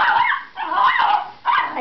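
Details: Miniature Schnauzer reacting to a vacuum cleaner, giving three drawn-out, harmonic whining yelps with bending pitch, each roughly half a second long, separated by brief quiet gaps.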